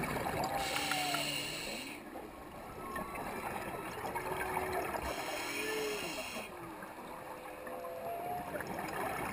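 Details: A humpback whale sings underwater, heard while diving at 100 ft off Puako, Hawaii, with soft, mournful rising and falling moans and whoops over a steady hiss.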